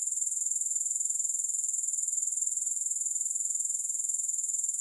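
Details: Evenly pulsing, high grasshopper buzz, roughly two beats a second, constant in loudness throughout, with no music or background noise.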